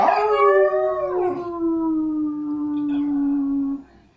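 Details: Pet dog, urged by its owner to speak, gives a single long howl that starts rough and bright, then settles into a smooth tone slowly sinking in pitch for about four seconds.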